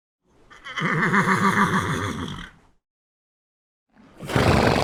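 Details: A horse gives one long, wavering neigh of about two seconds with a trembling, vibrato quality, followed by silence and then a sudden rough, noisy burst.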